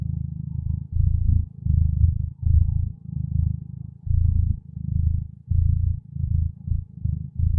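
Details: Deep, continuous purring from a contented, peaceful cat, rumbling in long breath-cycle waves about a second apart with short dips between them. Nothing else is heard.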